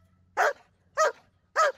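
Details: Zeus, a German Shepherd working through trained commands, gives three loud, sharp barks spaced roughly half a second apart, each a short burst, with a faint low hum underneath and a trainer's voice around them.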